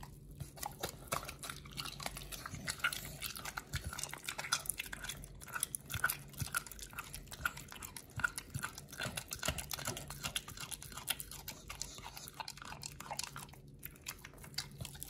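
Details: Pit Bull named Nomyen crunching raw food and New Zealand green-lipped mussels indoors. Steady rapid biting and crunching clicks run throughout, several per second, with a quiet hum beneath.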